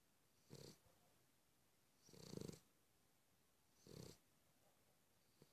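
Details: Snoring Cavalier King Charles Spaniel: three throaty, rattling breaths, the middle one longest and loudest, spaced about one and a half seconds apart, with a soft hiss on each inhale.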